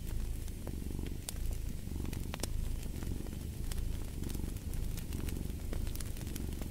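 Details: Soft rumbling purr of a cat pulsing in slow regular waves, overlaid with intermittent sharp crackling of fire.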